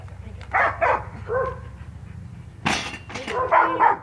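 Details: Australian Shepherd named Ozzy during agility training, June 2015, giving a few sharp, harmonic barks in short bursts separated by quieter gaps, with voices mixed in.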